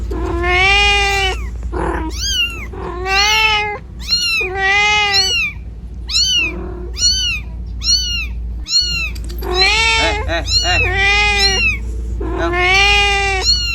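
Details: Domestic cat searching for its kitten in the middle of a road, calling in rapid runs of brief, high, arching meows broken by several longer, lower, wavering meows, with a constant low rumble behind.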